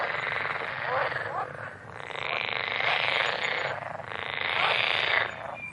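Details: Several frogs croaking in rattling pulsed bursts, each swelling for one to two seconds before a short dip, fast and overlapping.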